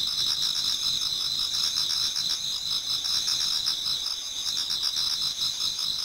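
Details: Towards dawn in autumn, a crowd of insects in a Japanese garden sings at once, making a shimmering high buzz layered over quicker, lower pulsed chirps that run without a break.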